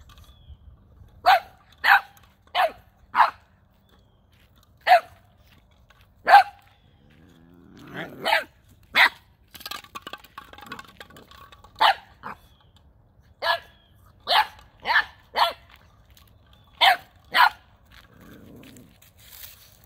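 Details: Nine-week-old Boxer puppy Gizmo gives his first big bark while confronting an unfamiliar toy ball, December 2021. Around sixteen sharp, clipped barks arrive in irregular runs, often three or four close together. Brief human speech and rustling break in twice.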